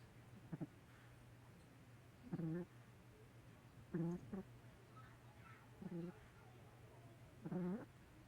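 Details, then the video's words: Sleeping Chihuahua snoring: short voiced, nasal snores with a buzzy, slightly rising tone, five bursts spaced irregularly over eight seconds, against a quiet room with a steady low electrical hum. "Chihuahua Snoring"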